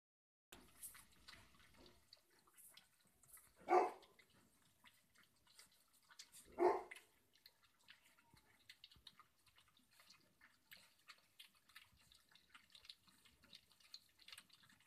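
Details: Light yellow Labrador retriever puppies being weaned, eating together, give two short, sharp yelps over soft clicking and dripping feeding noises.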